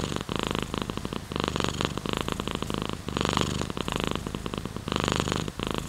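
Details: A cat's purr heard at close range, rhythmic buzzing rumble in repeated surges about a second long, louder on some breaths, separated by brief quieter dips.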